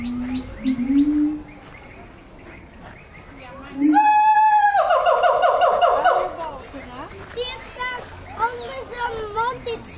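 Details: Siamang singing in its enclosure at Antwerp Zoo: a low hooting note, then a sudden loud, rising, ringing wail lasting about two seconds, followed by scattered softer honks, with visitors talking and laughing nearby.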